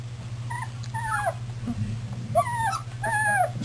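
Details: Puppies milling about, recorded 24 February 2010: drawn-out, high whines, each bending downward, arriving in pairs with short gaps, plus faint low grunts, all over a persistent low hum.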